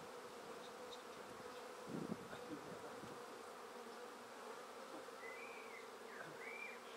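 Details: Swarm of honey bees gathered from a tree into a swarm basket, giving off a dense, even hum that holds steady throughout, with a brief thump near the start and a clear whistled bird note toward the end.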